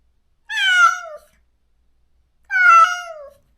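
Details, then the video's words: Stray cat in a countryside yard, crying daily for the close companion it was separated from after neutering: two loud, drawn-out meows, each falling in pitch and lasting under a second, two seconds apart, in a quiet setting. "중성화 수술 후… 강제로 헤어진 단짝을 찾아 매일 울부짖는 고양이"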